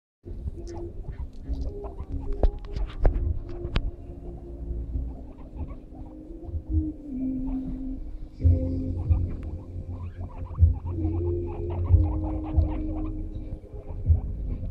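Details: Three pet guinea pigs, Guza, Guda and Muda, conversing with one another: low pulsing rumbles and soft chuttering bursts repeat irregularly over a steady tonal hum, with occasional brief clicks.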